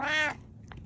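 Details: A cat gives one short, loud, nasal meow of about a third of a second, followed by quiet room sound.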